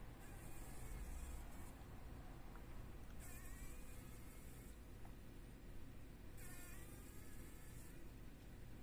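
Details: Fly caught in a spider web in a workshop corner, morning, struggling to free itself: three short bursts of harsh buzzing, each about a second and a half long, separated by quiet stretches over a low steady hum.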